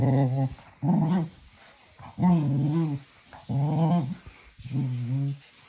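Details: Little cocker spaniel at evening play, growling in five rhythmic bursts about every 1.2 seconds, each a low harmonic rumble with a wavering upper tone, separated by short quiet pauses.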